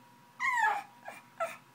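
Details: Frustrated pug after a bottle: one drawn-out descending whine followed by two brief clipped yips, over a low steady hum.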